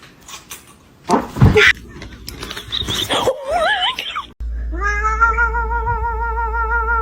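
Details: Pet cat giving a quick wavering, pitch-bending meow, then a long drawn-out steady wail with slight vibrato, over a low rumbling background and bits of people's voices.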